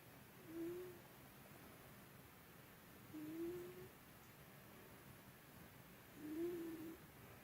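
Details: A sleeping pet cat, Byuri, snoring, a habit of long standing that grew heavier that day; three soft, thin whistled snores roughly three seconds apart, faint against steady indoor background hiss.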